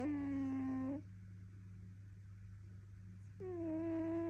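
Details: Sleeping British Shorthair cat snoring: a tonal, nasal, harmonic snore lasting about a second, then a quiet pause before the next drawn-out breath begins, over a steady low electrical hum.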